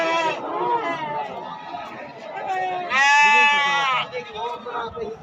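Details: Sheep at the Atpadi goat and sheep market on Saturday, 15 July 2024. Wavering, harmonic bleats overlap one another, with a loud, drawn-out bleat near the middle. Voices and market chatter sound underneath.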